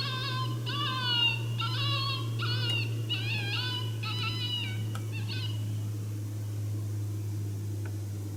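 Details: Coyote yipping in a challenge bark during a St-Andrews hunt, 1 March 2019, upset at a person nearby and heard but unseen: about nine descending, wavering yelps for five seconds, then quiet apart from a persistent low hum.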